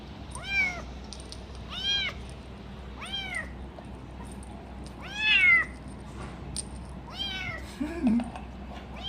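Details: Little kitten eating cat food, making noises while guarding its food; five arched, meow-like cries rising then falling, one roughly every 1.3 seconds, over a steady low indoor hum.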